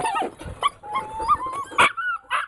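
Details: A dog holding his ball and wanting to play gives a thin, high, steady whine that wavers slightly, broken by short sharp yips, with a person talking at the start.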